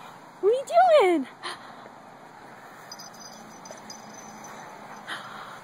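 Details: Dog Traveler during play with puppy Didgie, amid zoomies and leg biting: one short tonal whining bark that rises then falls within under a second, followed by a faint thud and quiet room sound.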